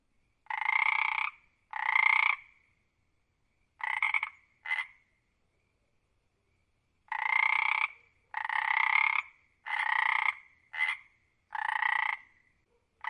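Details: Frog croaks in a quiet setting: about nine harsh, pulsed bursts lasting half a second to a second each. Some come in quick pairs, with short silent gaps between them and a longer pause midway.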